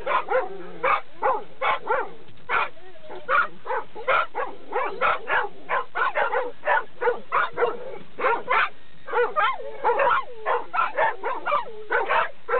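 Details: A Labrador Retriever by the dog run, loud when people come near. A rapid, steady stream of about thirty deep barks fills the recording, sometimes doubled, with short yelping whines mixed in.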